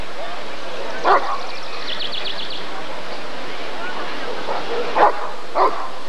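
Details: Barks from a Rottweiler at the 1994 ADRK Körung breed survey: one strong bark, a pause filled with faint high chirping and crowd murmur, then two more barks close together.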